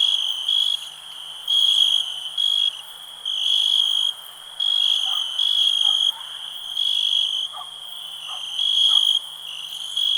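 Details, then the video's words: Cricket in a peaceful night-style ambience, giving loud piercing trilled bursts lasting about a second each, separated by quieter stretches where the ringing continues softly, plus a few faint low clicks. "Nature sounds, cricket relax"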